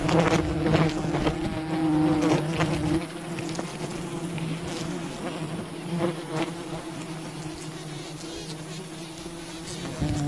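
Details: Swarming wild bees from a colony raided for honey: a continuous low humming drone, louder in the first three seconds then settling, with occasional sharp taps and crackles over the buzz.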